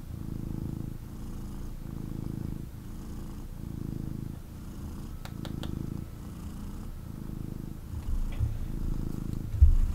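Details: Cuddled male kitten giving an intense purr while held; deep buzzing rumble rising and falling in even breath-like cycles about every 1.2 seconds, with faint clicks and a handling bump at the end.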